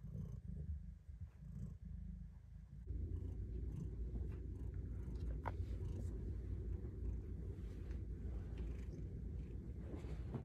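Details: Domestic cat purring while getting belly rubs in her favourite hidden spot, a tight secret lair; a low, steady rumbling purr fills the whole clip, softer and uneven for the first three seconds, then louder and continuous, with a few faint clicks.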